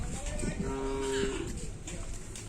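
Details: Bull at Karapan Sapi racing, teams Kembang Api and Sapu Jagat competing: a steady, even-pitched tonal lowing held for nearly a second, over background voices, music and a sudden knock at the end.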